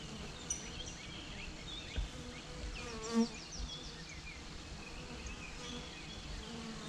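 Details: Swarming honey bees produce a constant low hum, with the whine of single bees rising and falling as they fly past.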